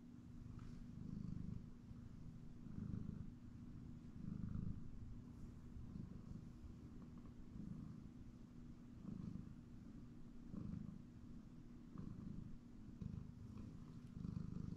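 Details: Indoor house cat taking a nap on a comfy chair, purring steadily: deep, vibrating low rumble rising and falling in soft pulses every second or two across the whole stretch, with a quiet background hum.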